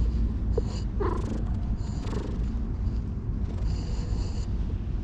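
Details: Steady low throbbing purr from a stray cat being stroked in a park, continuous through the whole stretch, with soft rustles of handling on top.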